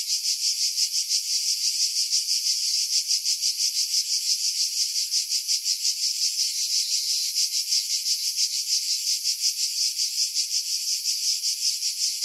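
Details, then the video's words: Pine-tree cicadas on Skiros Island, Greece, recorded in July 2018 above Pefkos Bay, about 50 m over the sea: continuous shrill rasping drone with rapid even pulses near three per second, no other sounds. "Cicada Sounds, July 2018 Skiros, Greece"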